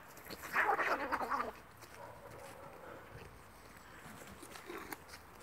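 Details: Two cats fighting: a harsh, loud, screeching burst with rough layered tones lasting about a second, then near quiet with a brief fainter cry near the end.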